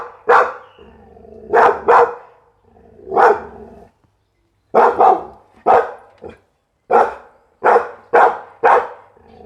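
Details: Pit Bull dog barking, some barks doubled in quick pairs, with low rumbling noise between, a brief silent gap, then a quicker string of sharp barks.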